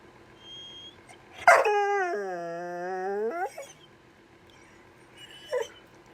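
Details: Cash, a dog sitting and wanting a toy rather than fetching it, begins with a sharp yelp. He slides into a sustained wavering whine of about two seconds, then goes quiet, and ends with a short yip.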